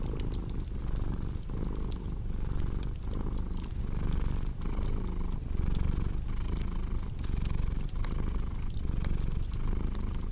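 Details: Soft rumbling purr from a cat, pulsing with its breathing roughly every 0.8 seconds, mixed with dense popping and crackling of a fireplace.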